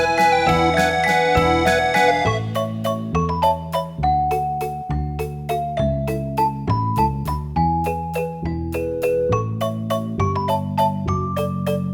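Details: Bright piano melody of repeated struck notes with a steady chord accompaniment, and no animal voices.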